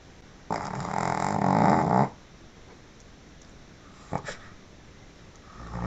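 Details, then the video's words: Sleeping Pekingese giving a loud snore: a single grating, rattling inhalation of about a second and a half, followed by a brief snort and soft breathing indoors. "Dog snoring"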